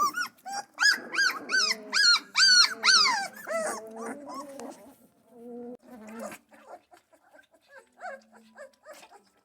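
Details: Central Asian Shepherd Dog puppies feeding for the first time in a barn: dense overlapping high whimpers and arched squeals, several pups at once, tapering into lower whines and scattered short squeaks.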